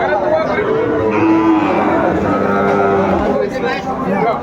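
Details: At a cattle market in Comilla, Bangladesh, Sahiwal cattle low in drawn-out, fairly flat moos that overlap one another, while buyers and sellers talk loudly around the animals.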